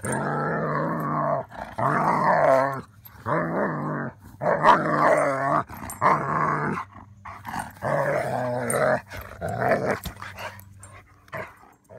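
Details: German Shepherd growling while neighbouring Labradors try to get it to play. Throaty, rumbling growls come in bursts of one to two seconds each, about seven of them over twelve seconds, with brief quiet gaps between.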